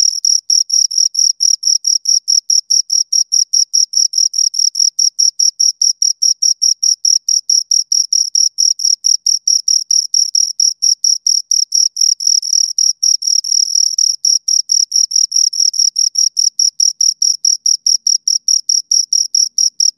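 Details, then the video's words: Two crickets chirping nonstop, rubbing wings to make rapid, shrill pulses in a steady rhythm, the high-pitched beat unbroken across the stretch with no background noise. "Two Crickets Chirp Sounds for Two Hours Right on Your Ears"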